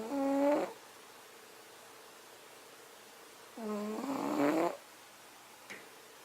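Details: A sleeping male cat snoring: two drawn-out, nasal, harmonic snores with long quiet gaps between them, the second longer and rougher, followed by a faint short snort.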